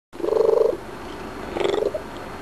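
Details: Pet cat Graybeard chatting after eating a few treats: two short, fluttering, mid-pitched trills, the first longer and louder, the second following after a brief pause. The room is otherwise quiet.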